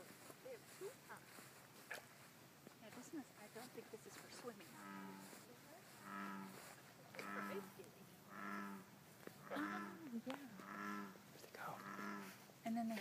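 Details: Bullfrogs calling to each other: after a few softer scattered notes, a run of deep, resonant, harmonically rich croaks repeated about once a second, each a short throbbing burst; faint background hiss.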